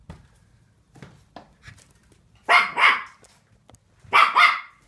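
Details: Seven-week-old Finnish Lapphund puppies at play give two bright, high-pitched barks, each a quick double burst, spaced about a second and a half apart over a quiet background with faint low thumps.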